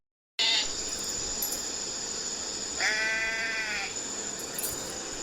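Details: One sheep bleat, a drawn-out, wavering nasal call of about a second, following a brief sharp sound at the start, with constant high hiss behind.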